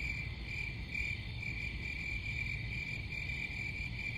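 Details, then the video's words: Crickets chirping in a steady, high-pitched pulsing trill that runs without pause through the whole stretch, with faint higher overtones above it and a constant low rumble underneath. "Crickets Sound"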